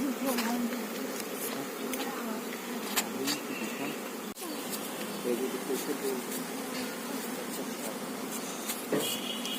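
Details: Beekeeping scene with honey bees at an apiary hive: a constant deep buzzing band beneath frequent clicks, handling knocks and some speech.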